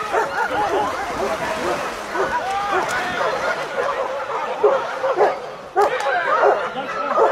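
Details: Several wild dogs hunting a wild boar give excited, overlapping yips and whining squeals, each cry bending up and down in pitch, in a rapid chorus; a human voice is heard briefly in the background.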